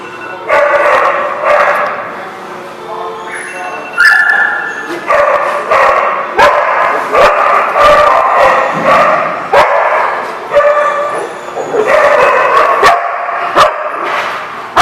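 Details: Several dogs barking together, recorded on December 18, 2015; overlapping sharp barks and yips come in dense bursts throughout, with some higher yelps and a human voice briefly audible among the din.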